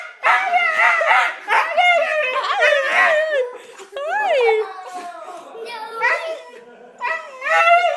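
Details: Female Siberian Husky greeting her owners on their return from a trip, very happy: a long run of yodelling, talking-like whines and howly yelps that bend up and down, nearly continuous, with short breaks.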